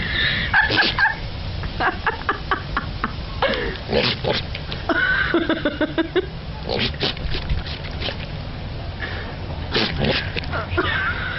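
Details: Goats in a compilation of funny clips, giving a few short, harsh bleats mixed with clattering, clicking noises and background chatter.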